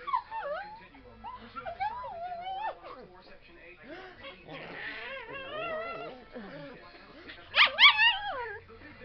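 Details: Pet dog Fizzgig, upset by a breeze on his face, whines in long, wavering, sliding tones, some rising sharply, ending in a louder high-pitched burst of yelping whines.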